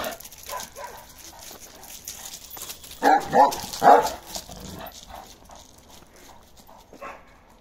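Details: Balyoz, a 15-month-old male Kangal with a karakırçıl coat, gives a short burst of deep, loud barks around the middle, three close together, with quieter faint noises before and after.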